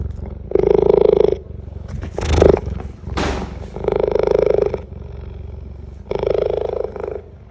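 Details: Rozi, a young female cheetah (Acinonyx jubatus) at the Cincinnati Zoo, purrs in steady, rumbling pulses that rise and fall in loudness.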